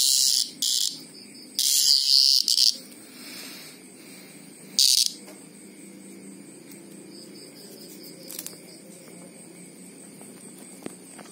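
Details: Greengrocer cicada giving a few short, harsh high-pitched buzzes in the first five seconds, then falling quiet apart from faint distant buzzing and a steady low background.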